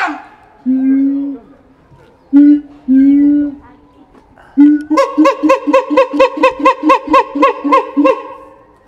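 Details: Captive siamang Keiji at Higashiyama Zoo, Japan, which tends to call first thing in the morning: several steady low hoots, then an accelerating series of about twelve loud pulsed whoops, filmed 17 January 2023 on a FUJIFILM X-S10.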